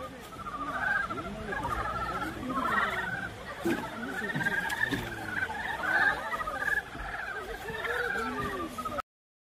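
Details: A dense chorus of Dybowski's brown frogs giving mating calls in Guryong Valley, Chiaksan, soft, chuckling croaks that overlap continuously.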